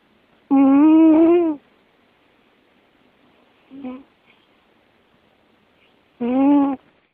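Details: American Shorthair cat Musashi snoring indoors, with long, humming, tonal breaths of about a second each, set roughly six seconds apart. A short, softer snort falls between them in an otherwise quiet room.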